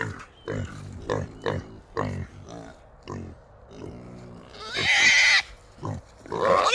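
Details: Wild hogs held in a small trap at night in the early morning hours: a run of short, low grunts repeating roughly every half second, broken by a loud, shrill squeal and another rising squeal at the end.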